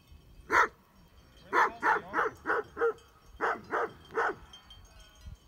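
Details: Great Pyrenees sheep dogs confront mountain bikers on a trail near Heber, Utah: deep, hoarse barks, one lone bark then bursts of four and three in quick succession, with quiet gaps between and faint outdoor background.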